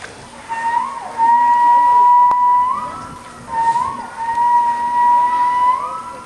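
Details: Captive male walrus whistling at Dolfinarium Harderwijk in the Netherlands, April 2010, a mating-season display to draw females: two sustained flute-like tones, level in pitch, each closing with a brief rising lift, separated by a short pause.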